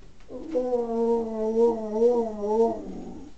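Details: {'caption': 'Male pet dog trying to howl, his owner saying he sounds like a pig: one sustained, mid-pitched wavering howl of about two and a half seconds, with gentle pitch wobbles and a soft fade at the end.'}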